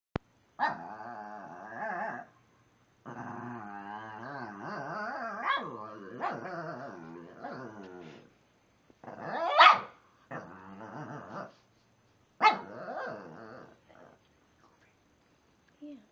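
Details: A male Shih Tzu makes long, warbling, moaning grumbles broken by a few sharp yips, trying to get another Shih Tzu to play; the other ignores him and finally chases him off.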